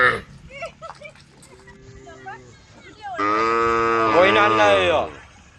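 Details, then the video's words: Cows from a herd roaming along a road, calling to the herd: after a few seconds of quieter scattered sounds, one loud, rich, drawn-out moo lasts about two seconds, swelling slightly in the middle before fading. "the sound of cows calling the herd"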